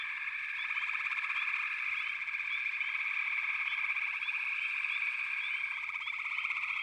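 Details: A massed frog chorus, a constant high buzzing hum with fine rapid pulsing underneath and occasional short rising chirps at regular intervals.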